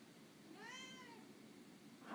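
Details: Lily, an overweight pet cat once found in a dumpster, gives a single rising-then-falling meow lasting about half a second in a small indoor room, with a person speaking to her about food just before and a brief thump near the end.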